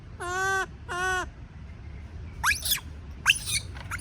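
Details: Baby monkey screaming because it is afraid of being left alone: two drawn-out, harmonic wailing cries, each about half a second, followed by several shorter, harsh, upward-sweeping screeches over a low background rumble.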